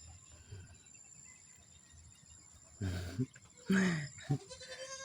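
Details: Raised domestic goats from a growing herd, calling to ask for food; after a quiet stretch, two short nasal bleats that drop slightly in pitch, a second apart, then a brief third sound, over low background hum.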